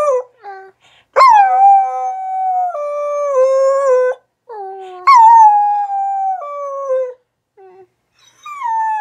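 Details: [1, 'Rat Terrier and Australian Shepherd mix dog howling indoors-quiet: a few short yips lead into three long, sustained howls that slide gently downward in pitch, separated by brief pauses and small yelps.']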